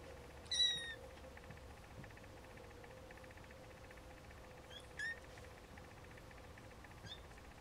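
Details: Siamese snowshoe kittens giving short, high, thin mews, one near the start, another around five seconds and a faint one near the end, separated by quiet stretches over a steady low hum.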